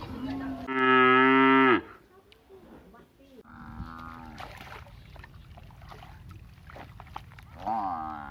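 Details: Village buffalo giving a loud, deep, harmonic moo lasting about a second, followed by quieter wavering lows and a rising moan at the end.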